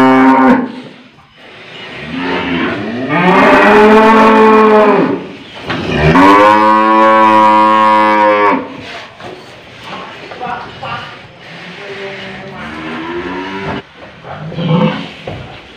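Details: Long, loud bellowing moos from an old, tough cow as a nose rope is pierced and fitted in Indonesia, two strong drawn-out calls followed by quieter grunting moos amid handling sounds.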